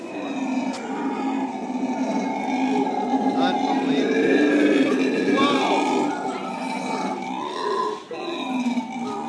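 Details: Black howler monkeys, a zoo family at San Francisco Zoo, chattering in the morning: dense overlapping harmonic grunts and moaning calls held steadily, with rising and falling inflections throughout.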